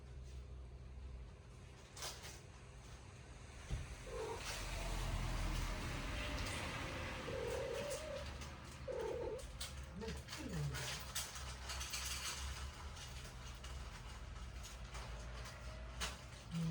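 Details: Stray cat visiting a home in daytime during a typhoon, giving several short, low, wavering cries spaced a few seconds apart, partly masked by steady rain and wind noise with occasional knocks.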